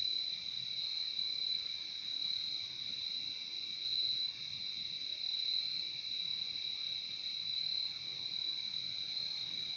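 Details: Crickets in a steady, dense chorus of high, shrill chirping that holds without a break for the whole stretch, with a second fainter band of trilling below it and only faint low background rumble.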